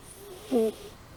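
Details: A single brief tonal snore from Amy the cat while she sleeps, a short steady whistle with a faint breathy rush, otherwise near silence.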